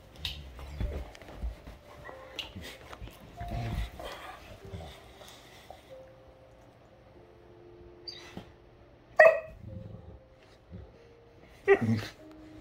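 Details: A Great Dane gives a couple of loud, deep barks and a growl meaning "get off of me" as a younger female pesters him in rough play, with a person talking; he has had enough.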